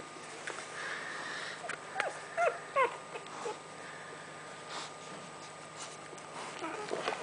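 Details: Nursing puppies with their mother making soft scattered squeaks and short high whines, a few brief rising yelps around the middle, over quiet sniffing and suckling noises and a faint steady hum.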